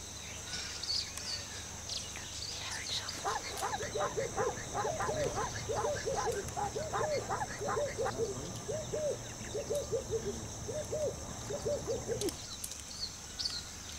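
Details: Vervet monkeys (Chlorocebus pygerythrus) around a lodge in Africa give a rapid run of short, harsh, arched calls, repeated several times a second.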